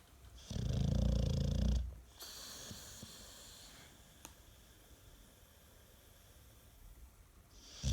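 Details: Sleeping American Staffordshire Terrier gives one loud, deep, grinding snore of about a second and a half, then quiet breathing, in a snore described as louder than a washing machine spinning.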